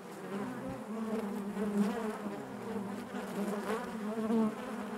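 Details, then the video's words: Honey bees droning inside the hive, an even, unbroken buzz with warbling overtones and gentle rises in volume, no other sounds. "bees therapy hive natural buzzing sound"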